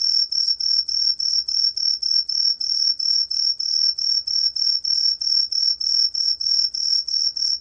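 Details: Green tree cricket, green pine cricket (Truljalia hibinonis), song: loud, shrill, high chirps repeated about three times a second; 2020 recording from Korea's National Institute of Biological Resources.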